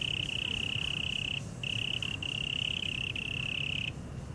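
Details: Taipei Botanical Garden cricket, Taiwan, producing a bright sustained trill broken into several long bursts by short gaps, each burst lasting about half a second to over a second; low ambient hum throughout.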